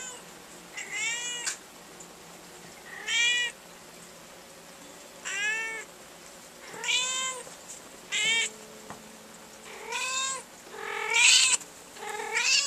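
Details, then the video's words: Pet cat Rhoda lying in a drawer filled with black umbrella nylon, giving a long run of bright, harmonic meows, roughly one every one to two seconds, some rising then falling, a few louder and strained toward the end. "Rhoda the Vocal Cat"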